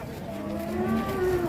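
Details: Angry cow, described as raging and out of control, giving a short steady low moo with clear harmonics that holds level and strengthens slightly toward the end, over faint background rumble.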